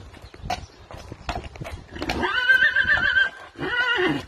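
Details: A horse neighs twice in a quavering, high whinny, the first lasting about a second and the second shorter, after a few scattered clip-clops and knocks.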